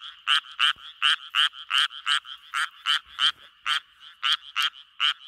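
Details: Japanese tree frog; mating call; attracting females for mating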